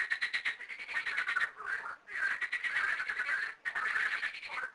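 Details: Frogs in two small garden ponds, thirteen in all, croaking in a dense, nearly continuous rattling chorus, broken only by two short pauses.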